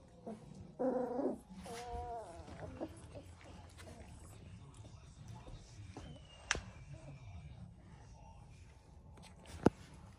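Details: Central Asian Shepherd Dog puppies, three weeks old, litter in Oregon: a burst of squealing followed by a few thin, wavering whines early on, then mostly quiet room with occasional clicks.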